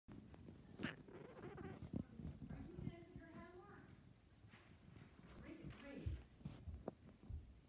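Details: Rico, a pet cat, meowing. A drawn-out tonal meow with stacked harmonics rises and falls near the middle, surrounded by low thumps, rustling and handling noises, with a faint high squeak later on.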